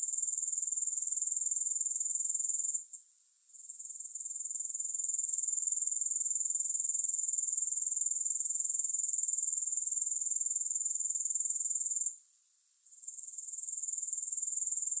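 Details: A continuous high, thin grasshopper trill with no music. The rapid pulses pause briefly at two points, a few seconds in and again near the end, before the buzzing picks back up.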